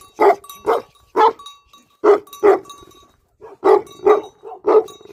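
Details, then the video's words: Livestock guardian dogs barking: deep, punchy barks in quick pairs and threes, about nine in five seconds, with steady ringing bell-like tones in the background. "Livestock Guardian Dogs Barking"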